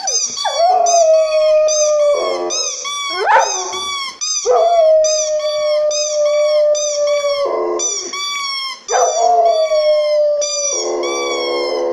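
A golden retriever gives repeated long howls, each starting with a rising swoop then holding a steady, rich tone. The drawn-out wails echo a siren, broken by short breaths and yips.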